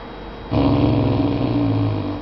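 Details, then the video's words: A very vocal English Mastiff puppy growls randomly, for no clear reason, a low, rumbling growl held steady for nearly two seconds. "English Mastiff puppy randomly growling"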